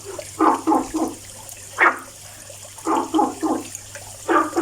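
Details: Croaking frog, heard daily, repeating bursts of three rapid, throaty notes separated by brief pauses; a faint constant hum lies underneath.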